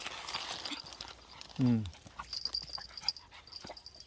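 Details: Weaned puppy, raised two months in an apartment by a granddaughter and then given to an acquaintance, greeted on a reunion visit one month later outdoors on a lawn; one short, loud, deep bark sliding downward, amid soft human voices and a steady faint high-pitched whine.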